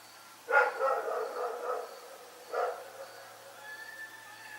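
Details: Rex, a dog, barks at night, one loud bark trailing into a drawn-out, wavering growl-like tail, then a second shorter bark, over a quiet steady background.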